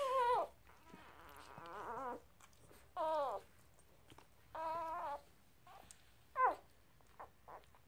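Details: Newborn Blue Heeler puppies, two days old, from a litter of five born on a Sunday morning, squealing indoors in high, wavering harmonic cries, some falling and some rising, given in bursts about once a second with short quiet gaps between.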